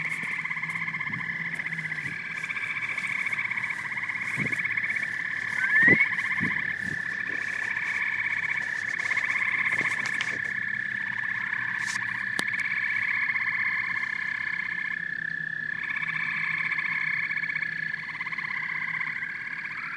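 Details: Frogs and toads in full chorus, pulsed trills rising and falling in bursts with brief gaps, plus scattered sharp clicks and knocks throughout and one quick upward whistle-like sweep.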